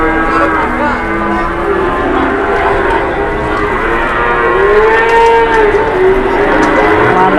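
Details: Big cattle at a bustling market in Indonesia as Idul Adha approaches; repeated moos, one drawn-out bellow around the middle, amid steady crowd chatter and market din.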